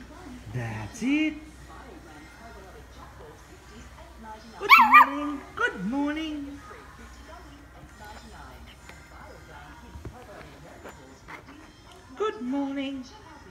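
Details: A female Italian greyhound, finding her voice, gives a few short, high, tentative barks while a person talks encouragingly.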